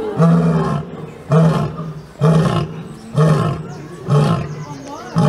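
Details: Series of six short, deep grunting roars from a lion, delivered at a steady rhythm roughly once a second, each low and throaty.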